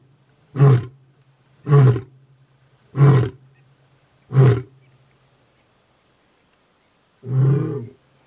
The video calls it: Male lion ROARS!!